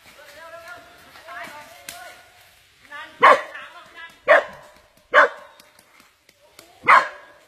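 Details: Dog being attacked by an anaconda: people talk at first, then four loud, harsh yelping barks follow at irregular intervals of roughly one to two seconds.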